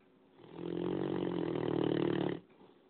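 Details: Snoring of a 9-month-old Great Dane puppy that keeps the household awake: one long, rough, droning breath of about two seconds with a steady low buzzing tone, rising in and fading out sharply, indoors.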